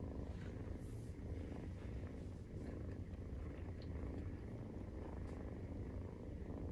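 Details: Maine Coon cat purring while nursing, kittens 43 days old, indoors at home; a steady low rumbling purr fills the whole stretch, with faint soft clicks and rustles above it.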